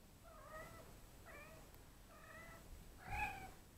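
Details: Evening playtime for Neva Masquerade kittens of litters C and D in a cattery, with mothers and an older sister from litter A caring for them: four thin, high, tonal mews about once a second, the last slightly louder, over a soft indoor hum.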